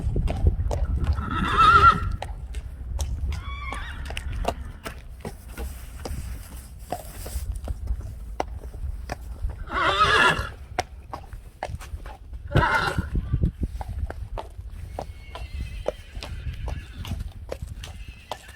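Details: Friesian horses neighing, several loud whinnies around two, ten and thirteen seconds, each a shaking harmonic burst, with quieter rustling and low stable noise in between.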